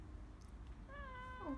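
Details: An elderly domestic cat, the oldest in a family at home in Brazil, greets the people with a single drawn-out meow. The tone holds steady, then drops at the end, over a low indoor room hum.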